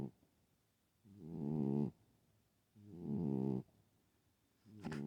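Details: Sleeping female pet cat known to snore, here unusually loud: harsh, rumbling snores with rough harmonics, each lasting under a second, separated by quiet pauses of about a second, roughly 35 per minute, in a quiet room.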